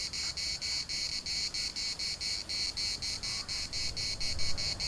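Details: Pulsing, high-pitched buzz of cicadas in Larnaca's municipal park, bursts repeating several times a second over a low rumble of wind.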